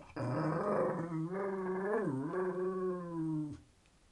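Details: Talkative terrier grumbling for attention, wanting its owner to get up and do something. One sustained, throaty, moan-like vocalization lasting over three seconds, wavering briefly in the middle before trailing off.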